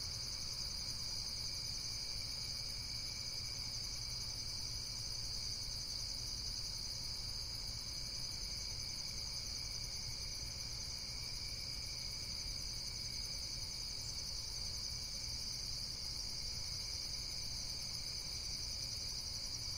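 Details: An insect chorus of continuous shrill buzzing, several high bands layered together and never letting up, with a soft low hum underneath.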